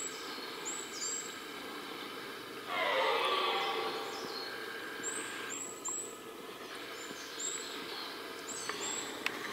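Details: Red deer in the rut, heard within a rutting area: a single hoarse roar of about two and a half seconds amid steady background hiss, with a fainter bout after it and short high chirps scattered throughout.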